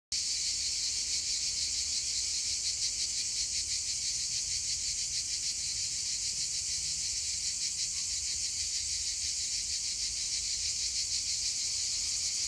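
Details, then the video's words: Cicadas on a hillside sing in a continuous, shrill, buzzing chorus that fills the landscape and pulses rapidly without pause. "Cigales sur la colline..."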